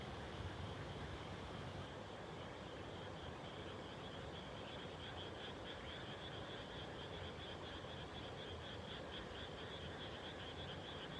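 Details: Frogs chorusing at dusk right after rice planting, 30 May 2021; a continuous high, rattling trill sits beneath broad low rumbling noise, steady throughout the recording.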